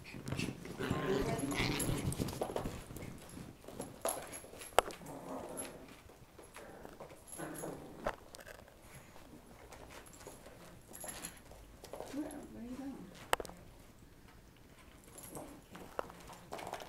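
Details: A small Morkie attacks a full-grown female Boston Terrier, dragging her by the skin; short dog whimpers and low growly noises come in irregular bursts amid scuffling, with faint human voices in the background.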